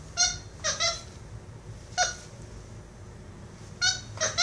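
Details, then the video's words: Pet capuchin monkey named Instinct play fighting with a toy monkey: short, high, harmonic squeaks in quick pairs, then a pause, then another burst of squeals, against a quiet indoor background. "MONKEY RUNS FROM MONKEY TOY LAUGHING"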